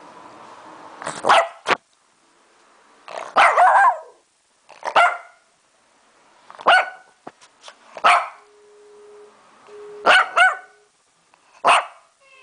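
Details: Lhasa Apso named Lunna barking at the camera indoors: sharp, broadband barks come singly or in short doublets about every one and a half to two seconds, roughly seven bursts, with a brief steady tone partway through.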